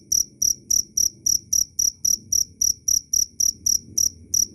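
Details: Loud, clean chirping of a cricket: bright, high pulses evenly spaced at about three and a half per second, each with a soft low thud underneath.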